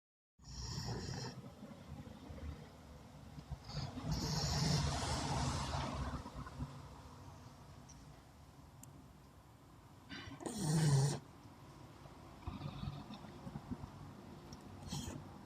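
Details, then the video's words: Labrador Retriever dog asleep and dreaming, snoring in slow, rough low-pitched breaths with louder snorting bursts around five and eleven seconds, quieter raspy breathing between, indoors. "Snoring and dreaming with happy ending. (Dog Labrador)"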